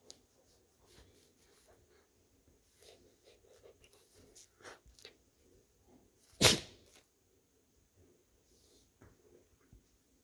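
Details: American Akita puppy, a fuzzy female, lying upside down in a lap as her belly is rubbed: low breathy snuffles and murmurs build up to a single loud, explosive sneeze, followed by quieter breathing sounds.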